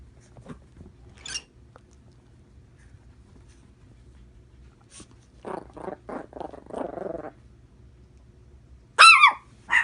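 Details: Chihuahua wanting to play with a small bird, indoors: a quiet room, then a burst of short rough barks and yaps around the middle, and a sharp high bird-like chirp near the end.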